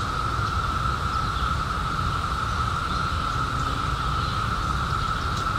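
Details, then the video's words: Cicadas emerged in 2021 after 17 years underground, giving a constant, level buzzing drone at one pitch, layered over dense low-frequency rumble. "CICADAS 🌿 Sounds"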